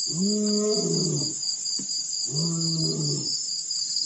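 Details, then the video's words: Male lion at Pete's Pond, Mashatu Game Reserve, Botswana, recorded December 4, 2016, after rolling in the dirt: two long, deep moaning calls, each about a second, over a steady high chorus of crickets. "Male Lion roll's in the dirt then give's us a couple good roars"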